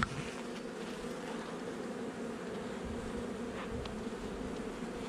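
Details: Brief stretch of honey bee hive noise from a nuc inspected on 8 July 2020, a little over a month after installation: a level, many-voiced droning buzz with a soft tick near the end.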